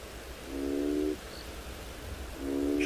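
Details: Probable African bullfrogs, suspected from a large clump of tadpoles nearby, give low, droning calls of about half a second each at sunrise on 2 February in Tswalu Kalahari Reserve, South Africa.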